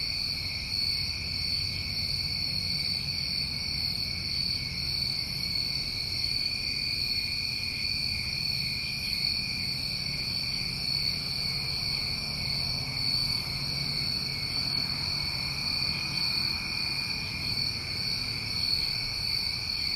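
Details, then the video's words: Crickets calling on a New England summer recording, forming a dense, constant high shimmer of two stacked trilling tones that never break over twenty seconds, over faint low background rumble. "Tinnitus Masking With Crickets"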